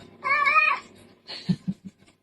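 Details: Pet cat giving a drawn-out, wavering meow that sounds like "mama", a clear harmonic call lasting about half a second, followed by a short scream-like burst and thumps, with people repeating "mama" and laughing nearby indoors.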